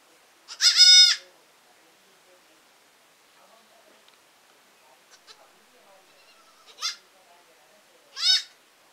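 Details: Baby goats bleating: one strong, nasal, high bleat at the start, then quiet shuffling, followed by two shorter, thinner bleats about a second and a half apart.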